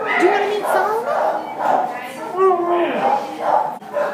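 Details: Pound-housed Border Collie Husky mix, December 27, 2014, voicing repeated short wavering whines and wails about every half second, pitch bending up and down.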